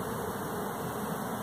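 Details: A honey bee swarm clustered at an apartment complex, reported by the fire department with the queen recently seen, gives off a continuous, low, broad drone of countless merged wingbeats.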